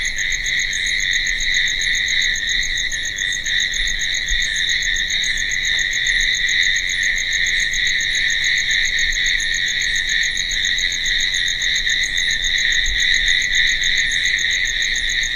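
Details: Crickets chirping at night: a steady, shrill insect drone holding two even high bands, with a faster, very high pulsed chirp ticking rapidly and evenly over it throughout, no other sounds.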